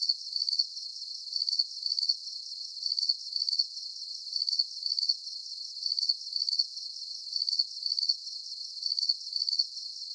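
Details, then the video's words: Night-time cricket chorus for calm sleep: very high, rapid pulsed chirps grouped in pairs, repeating at a regular pace about forty times a minute, over a light background hiss without other animals or voices. "Calming Cricket Sounds"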